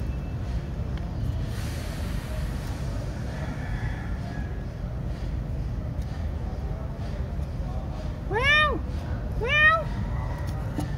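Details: Cats at breakfast time meowing: two short arched meows, rising then falling, near the end, over steady low traffic-like rumble and a person speaking earlier.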